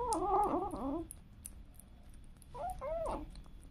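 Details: Domestic cats and kittens indoors: a wavering, drawn-out meow in the first second, then after a pause two shorter rising-and-falling mews, with soft clicks and room noise between.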